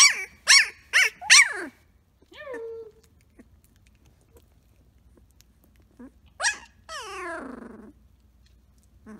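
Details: Samoyed puppy Blue Boy, from the Rose X Rider litter, playing and rooing: four sharp, bright barking yips in quick succession, a short falling whine, then a loud yip followed by a long, wavering, descending awoo howl in a quiet room.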